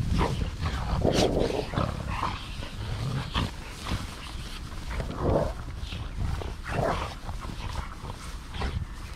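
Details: Golden Retrievers, a group of seven out on a walk at Ain village on 25 March 2021, the oldest a mother nearly eleven and the youngest two years old; breathy, rough bursts of panting come unevenly over outdoor rustling and footsteps.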